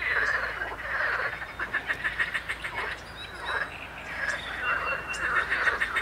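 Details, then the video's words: Marsh frogs and other water frogs croak in a dense, continuous mid-pitched chorus of rapid rattling pulses and overlapping rolling bursts, recorded 21 May 2023, where a great reed warbler was also singing. "Rechot żab śmieszek i żab wodnych"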